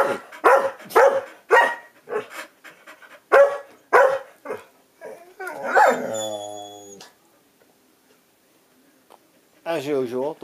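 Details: Two household dogs squabble like an old married couple, trading a rapid string of loud, rough barks for about five seconds, then a drawn-out whining howl, a pause, and a final wavering, moaning vocalization.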